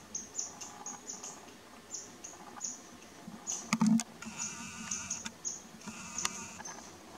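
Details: Lynx mother calling her lazy kitten, one of two, filmed on a Nikon P900: a drawn-out nasal bleat, then a shorter one, amid frequent thin high bird chirps and a couple of sharp knocks.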